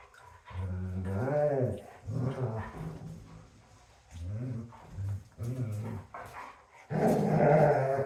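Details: A female German Shepherd grumbles and whines in low, moaning growls that rise and fall while wrestling with a male German Shepherd, ending in a louder burst.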